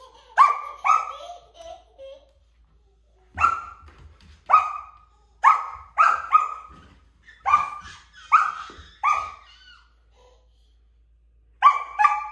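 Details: A Samoyed puppy gives a string of short, high yapping barks, often in quick pairs, barking at a stool that a toddler is moving.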